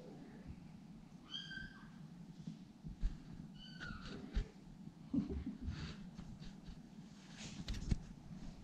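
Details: A kitten indoors mews twice, high and brief, about three seconds apart. A low room hum and a few soft knocks and rustles fill the rest.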